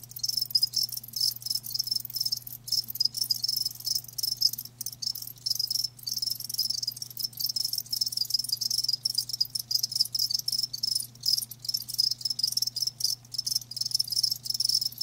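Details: Steady high chorus of live crickets, fast stuttering trills with frequent tiny breaks and one clear tone running through, over a persistent low hum.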